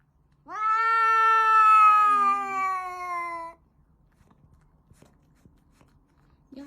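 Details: Domestic cat making a funny noise while eating: one long drawn-out meow, about three seconds, steady and slightly falling, rich in harmonics, followed by quiet small clicks and taps.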